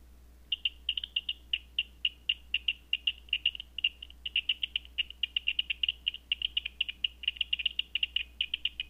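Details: Bat echolocation at night, picked up through a Batseeker 4 detector: a rapid stream of short, dry clicking pulses, several per second, with brief bursts where they run together. A steady low electronic hum sits underneath.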